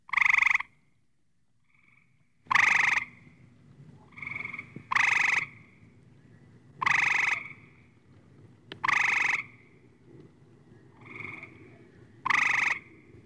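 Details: Frog croaking in loud, harsh, rasping bursts roughly every two seconds, with softer, shorter croaks between them and a faint low background hum.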